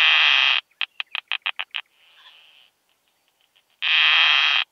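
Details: Keeled plump bush-cricket song from Zitzmannsdorfer Wiesen meadows, Austria, 1 June 2020, made audible with a Pettersson D 100 ultrasound detector: a long broadband buzz, a run of seven short rhythmic pulses, a softer hiss, then another loud buzz.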